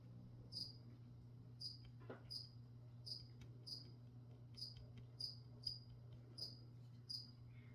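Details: A cricket chirps during plant spraying. Bright, high, single chirps come about every half to one second in a steady run of roughly ten, over a constant low electrical hum with one soft thud.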